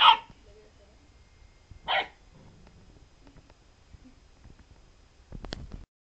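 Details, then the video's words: Golden Retriever puppy reacting to a lemon: one bark at the start and another around two seconds in, followed by quiet and a faint thump near the end. "Puppy Golden vs Lemon"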